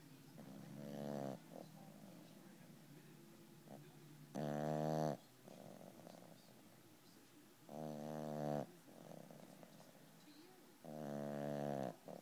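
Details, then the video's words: Sleeping 12-pound puppy snoring: four loud, rasping snores roughly every three seconds, each lasting about a second, with soft breathy rumbling between them in a quiet room. "Mr. Rocket Snores"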